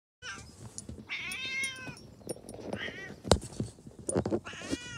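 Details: A domestic cat gives three drawn-out meows, the first short, the middle one long and wavering, the last rising then falling, over soft rustling and a sharp knock.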